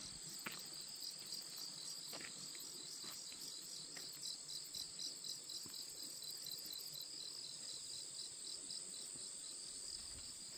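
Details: Many kinds of grass insects singing on a morning walk in a Korean mountain village, a dense steady high buzzing trill layered with rapid pulsed chirps and scattered ticks.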